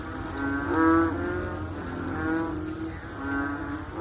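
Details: Frogs calling after rainfall: a drawn-out, cow-like moan followed by two softer, shorter replies from other callers.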